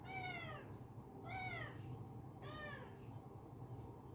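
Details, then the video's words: Pet cat calling sweetly indoors: three clear harmonic meows in quick succession, each arching high then sliding down, about a second apart, over a steady low hum. "मीठी आवाज मे बुला रही है"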